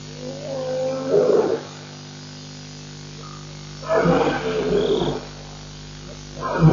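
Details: A lion at Nkorho Pan gives deep, rough roaring bursts, each about a second long, separated by pauses, at 1:19 am, with jackals nearby.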